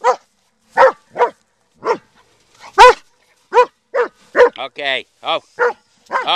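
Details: Black German Shepherd dog on a search-and-destroy outing, letting out a run of punchy barks with gaps of about half a second, shifting near the end into higher, drawn-out whines and yelps.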